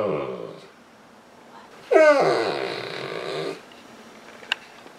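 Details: Saint Bernard Misha, a female pet on a couch, crying for attention and petting; a fading moan, then one loud wavering wail lasting about one and a half seconds, followed by quiet with a faint click.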